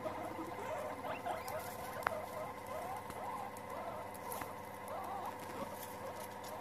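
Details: Several guinea pigs gathering together, giving many small squeaky chirps and chatter in a steady patter throughout, with faint background hum and occasional clicks.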